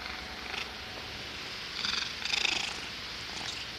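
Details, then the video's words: A cat making odd noises: a brief breathy puff, then a longer rattling, pulsed snort lasting under a second, and a softer huff at the end, in a quiet indoor setting. "Cat making weird noises and sneezing"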